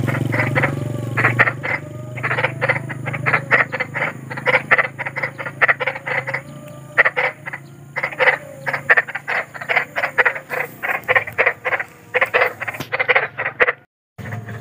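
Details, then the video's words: Big frog (kodok besar) in the wild, called frightening-sounding: long run of quick, grating croaks in repeated bursts, with low rumbling background noise early on and a brief near-silent break at the end. "SUARA KODOK || KODOK BESAR || SUARA KODOK SERAM"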